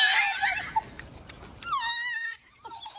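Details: A golden snub-nosed monkey (Rhinopithecus roxellana) gives a high, whining call that dips, then holds steady, a shrill, piercing sound.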